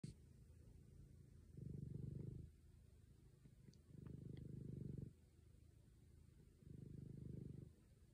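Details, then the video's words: Black domestic cat with diabetes purring loudly while lying on a couch beside its owner: low, rumbling purr in three long breaths, each about a second, with quieter purring between. "Turn up the volume to hear my adorable black panther purring."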